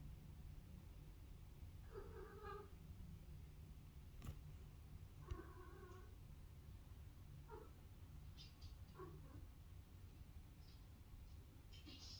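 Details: Cat giving strange mouth noises indoors in autumn: a few short, wavering meow-like calls spaced a couple of seconds apart over a low constant hum, with faint clicks.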